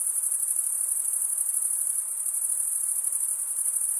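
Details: Chirping crickets, males rubbing one wing's edge along the toothed vein of the other: an unbroken, piercing high trill with a fine, fast shimmer and nothing else audible.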